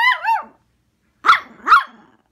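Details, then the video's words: Angry female Poodle throwing a tantrum after waking, indoors: a loud wavering whine-bark opens, followed after a gap by two sharp, clipped barks about half a second apart, each trailing into a short rasp. "Poodle throwing a tantrum"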